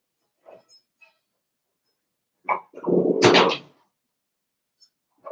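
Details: Five-week-old Cavalier King Charles Spaniel puppies indoors in Daisy's pen: a few faint squeaks, then a sudden yelp followed by a loud, rough, drawn-out growling bark lasting about a second, with a final short whimper.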